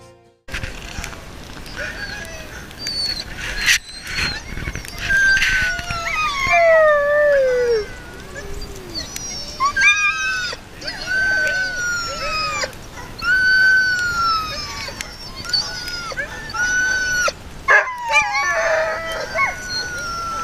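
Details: Sled dogs at the Gunflint Lodge in Grand Marais, Minnesota, during dog sledding: rising and falling whining howls from several dogs, sliding tones overlapping in bursts, with brief sharp knocks between them.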